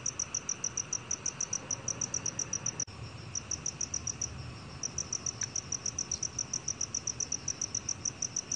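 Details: High-pitched chirping of a black cricket, short bright pulses repeated at a brisk even pace, with a sharp click near three seconds and a brief faint tone around five seconds over soft low hiss.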